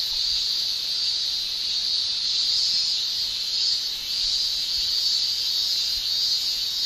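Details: Summer cicadas in Japan, males producing tymbal song, merge into an unbroken high-pitched shrilling band that swells and eases slightly every few seconds, with no other clear sounds.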